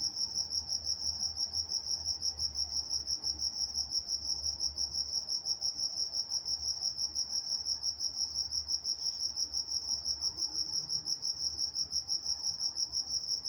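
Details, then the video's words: Nocturnal crickets from Walnut, California keep up a continuous high trill pulsed about three times each second, steady in rhythm and loudness, with a light low murmur underneath. "Nature Sounds Night Time Crickets in Walnut, California"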